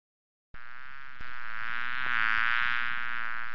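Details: Bee buzzing in a steady, droning hum that starts abruptly after half a second, with a rich stack of overtones that swells slightly louder and wavers gently midway, then holds to the end.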